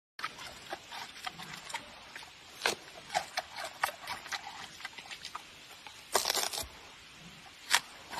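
A giant panda eats noisily, making crisp crunching and cracking bites in uneven bursts. Some louder snaps stand out between softer, rapid chewing, over a low constant hiss.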